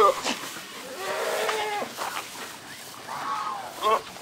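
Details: Big old male Saanen goat at a farm giving a drawn-out, steady, nasal bleat of nearly a second, then a shorter wavering call a moment later; human voices are heard around the calls.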